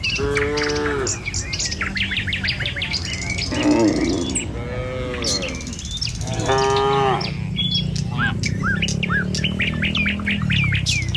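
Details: Tame cattle crossing a village road in the morning on their way to a field, following the herd; repeated harmonic moos, one near the start and others midway, over continuous bird twitters and a low background hum.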